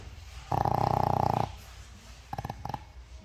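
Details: Loud snore from a sleeping 13-year-old Shih Tzu: a one-second burst of fast vibrating rattle, followed by two short snorting flutters a second later, in deep sleep indoors.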